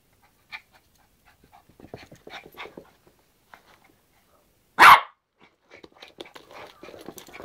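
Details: Yorkshire Terrier at play with a hairbrush lets out one sharp, loud bark near the middle, with soft scuffling, light taps and faint panting before and after.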